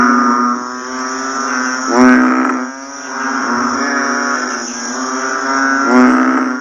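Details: Right after rainfall, a chorus of banded bullfrogs gives deep, nasal, bleating drones that overlap continuously, with louder individual calls rising out around two and six seconds; a constant shrill insect whine sits high above.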